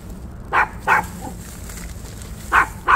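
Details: Maltipoo barking on a walk, four short sharp barks in two pairs separated by a two-second pause, with a faint low hum and soft outdoor background.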